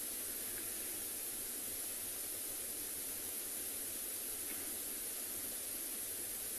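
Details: Only steady hiss and static fill the recording, with no animal sound present.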